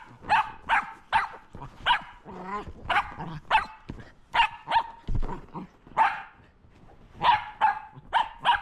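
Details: Shetland Sheepdog barking while playing with a lint roller: a rapid run of about fourteen sharp, bright barks, spaced roughly half a second apart, with one brief throaty grumble in between.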